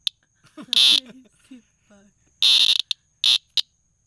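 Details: Noisy cicada discovered by a front door gives three loud, grating buzz bursts plus a brief click-like burst, high and harsh, while a person chatters quietly between them.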